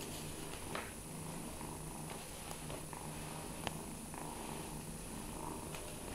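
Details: Low, even purring from foster kitten Fearghal, a wary former street kitten four days off the street, as he loosens up during play; small clicks and thumps of toys punctuate the rumble in a quiet room.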